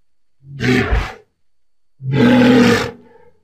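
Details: Walrus with two hoarse, breathy roars. The first is short and rasping, and the second is longer, steadier and more tonal, fading away at the end.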